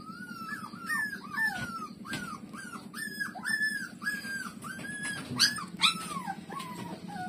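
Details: Puppy Lulu whining loudly while breastfeeding: clear, high, bent squeals and yelps follow one another rapidly, some sharp and piercing, over a low rhythmic rumble.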